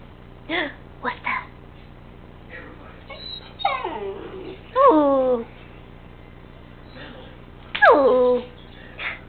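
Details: A three-month-old puppy indoors making half-whine, half-howl talking sounds: short yelps, then sliding falling whines and a loud quavering howl-like cry near the end, with a person speaking Spanish to him between calls.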